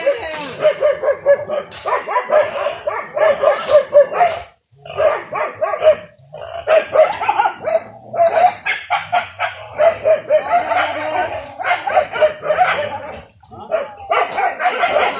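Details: Village hunting dogs in full cry while chasing wild boar on a traditional hunt with spears: rapid, continuous barking in long runs, broken by brief pauses.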